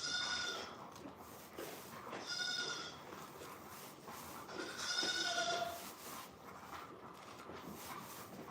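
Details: Goats bleating on a farm: three loud, nasal, harmonic bleats, each about half a second to a second long, spaced roughly two seconds apart, over a steady low background hiss.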